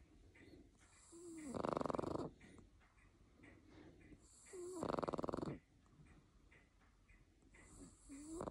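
A Boston Terrier snores loudly, each harsh rasping snore coming about every three seconds.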